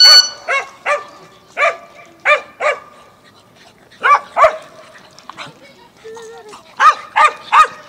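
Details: Dogs barking in Mazovia, Poland, in 2021: sharp, harmonic barks in quick bursts, a cluster in the first three seconds, then more after a pause, with a brief low tonal sound between them.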